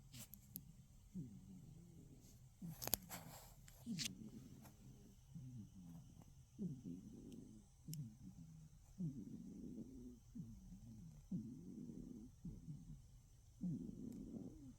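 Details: A sleeping cat's snoring in darkness: a few sharp clicks and taps at first, then steady low, rough breaths with a faint whistling edge, about one every second.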